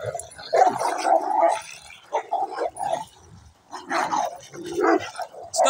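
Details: Two Cane Corso dogs fighting a passing Dogo Argentino that turned aggressive; rough gargling growls and snarls come in bursts with brief pauses, one harsh bark-like burst near the end.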